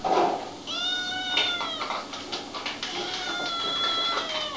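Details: Little kittens meowing, several drawn-out tonal mews with clear harmonics, some rising then falling, overlapping one another across the whole stretch, with faint rustling and a brief human voice at the start.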